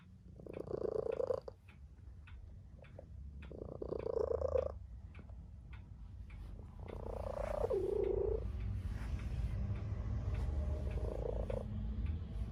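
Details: Tabby cat purring while sleeping with its people indoors: rhythmic rumbling purr in breaths roughly every two seconds, with a low steady background hum.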